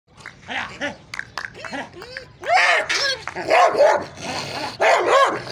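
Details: Bull Terrier dog giving a rapid run of short yelping barks with bending, whine-like tones, then louder, harsher barks packed closely together in the second half.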